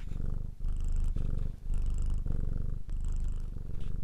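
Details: Close, loud cat purr: deep buzzing rumble in phases of roughly half a second, alternating with quick breaks as the cat breathes in and out.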